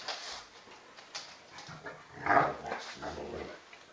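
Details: Two dogs play fighting indoors, a 10 kg Old English Bulldog puppy against a 40 kg Bullmastiff-cross male; short rough growls and whimpering yelps come in scattered bursts, one louder snarling yelp near the middle, with scuffling between.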